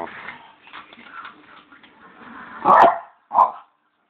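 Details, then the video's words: Male Bichon kept as a pet, asking for his bone: faint rustling and murmur, then one loud, rough bark followed by a shorter, clipped second bark. "dog howl"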